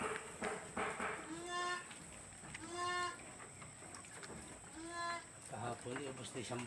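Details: Farm goats after drinking water, several harmonic bleats that rise then fall, three calls spaced about one and a half seconds apart, with a person talking over them.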